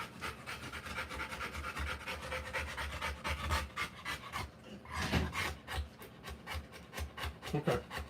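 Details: Panting of a Rottweiler giving live birth to puppies: quick rhythmic breaths that grow louder and more uneven midway, with a rustling burst around the fifth second.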